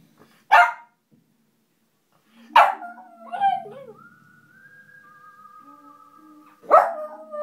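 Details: Pet dog howling along to music from a film score; short sharp onsets then sustained wavering tonal howls, one long held note gliding slightly down, with quiet music underneath.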